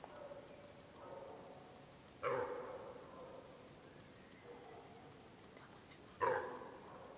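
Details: Hind deer searching for her calf, cut off from it by a group of wild boar; faint drawn tones open the sequence, followed by two loud, rasping nasal barks about four seconds apart against soft background hiss.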